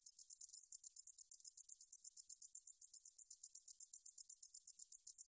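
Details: High-pitched katydid (등줄어리쌕쌔기) song from Korea's National Institute of Biological Resources, 2020: rapid rasping clicks, about six each second, forming a steady, monotonous buzz with nothing else audible.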